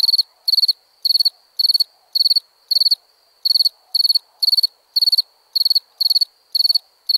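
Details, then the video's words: Crickets at nighttime giving bright, rapid pulsed chirps, each a tight burst of beats, repeated just under twice a second in an even rhythm over a near-silent background. "Relaxing Chirping Crickets"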